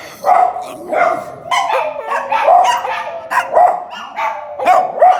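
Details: Domestic dog in a funny sound compilation giving rough, repeated barks, roughly one each second, with short grumbling sounds between them.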